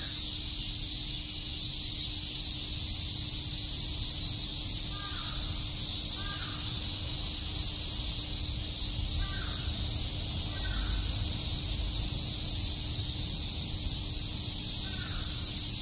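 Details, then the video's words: Cicadas chorusing on a summer day in Shakujii Park, Tokyo: a dense, unbroken high-pitched hiss fills the air, while a crow caws a few times in the background. "Cicada chirps"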